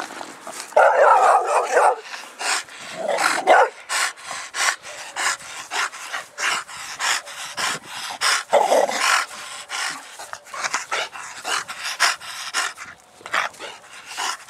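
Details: Dogs of a mastiff-type household listed as English bulldog, bull terrier and American bully: rapid, rough rhythmic panting breaths about four per second, broken by a few sharp mid-pitched barks near the start and middle.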